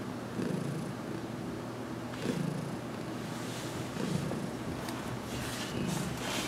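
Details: Domestic cat purring during a head massage, newly settled in a home and still adjusting to touch; low steady rumble rising and falling roughly every two seconds, with faint rustling noises.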